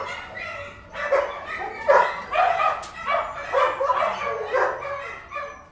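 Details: Kennel dogs in full chorus, with loud, tonal barks repeating roughly every half second over a constant background of further barking and yelping.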